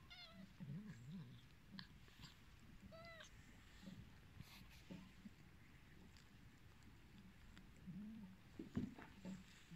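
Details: Hungry, abandoned cats calling with clear, bright meows near the start, three within about three seconds, over a steady low rumble, followed by softer low murmuring calls and a short louder cry near the end.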